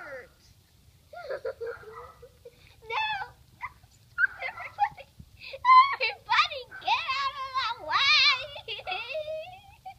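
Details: Great Pyrenees and Akita mix dog giving a string of whiny, wavering vocal sounds, some rising and falling in yodel-like bends, growing louder and more insistent toward the end, in a small indoor room.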